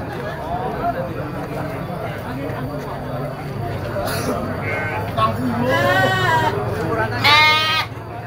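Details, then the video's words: Goat kids bleating at a goat market: two loud, quavering, harmonic-rich bleats in the second half, each under a second, over continuous human voices and market hubbub. "Suara anak kambing embek"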